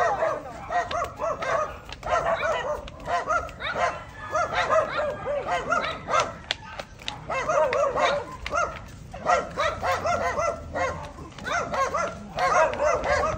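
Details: Four-month-old Belgian Malinois puppy being walked for exercise and training; repeated high, yelping barks in quick clusters with short pauses between them, people's voices in the background.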